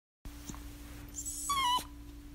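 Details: A Miniature Schnauzer, crying, gives one brief, high, falling whine over a steady low hum.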